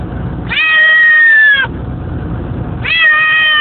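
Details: A cat unhappy on a car ride to collect a daughter from school, letting out two long, flat, strained meows separated by a pause of over a second, with constant vehicle hum underneath.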